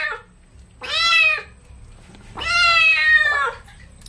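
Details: Kitten meowing while being bathed with baby shampoo indoors: two loud, drawn-out meows, each about half a second long with rich harmonics, separated by a pause.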